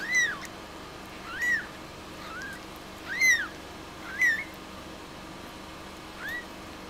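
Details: A newborn Munchkin kitten, born on 20 May 2016 at a cattery and recorded on its day of birth, gives thin, high, arched mews at uneven intervals.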